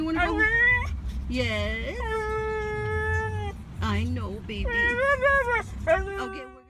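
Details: Siberian Huskies howl and "sing" in long, sustained woo-woo tones that bend up and down between breaks, amid a person talking to them.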